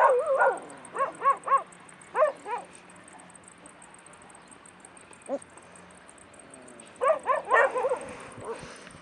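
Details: Stray puppies in Bursa, Turkey, yipping in rapid bursts of three or four falling notes, a long pause with one soft whimper, then another excited cluster of yips.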